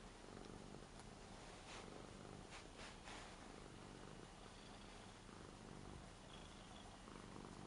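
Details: Lara, an eight-year-old Ragdoll, purring contentedly as she is petted on a new bed. A soft, low, continuous rumble, with a few brief scratchy rustles early on.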